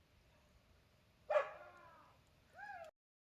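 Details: Dog barking because langurs are sitting nearby in trees by a field: two short, harmonic barks about a second apart, the first louder with a trailing tail, the second shorter and rising then falling, over quiet background.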